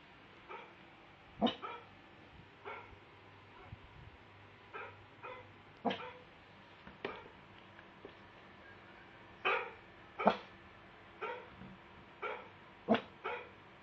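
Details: A pug gives short, sharp barks at irregular intervals, some in quick pairs, reacting to dog barking.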